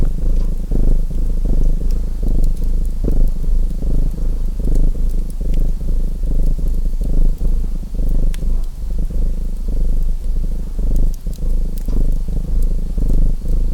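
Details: Domestic cat purring beside a crackling fireplace; a dense, low rumbling purr with uneven breathing swells, overlaid by scattered sharp crackles and pops from the fire.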